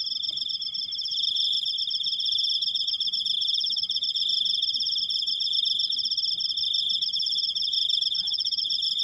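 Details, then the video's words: Cricket recorded firsthand, a long unbroken "krikkkkk": a steady high-pitched trill with rapid pulses running without pause throughout, a faint overtone band above and soft low rumble beneath. "suara jangkrik, krikkkkkk panjang"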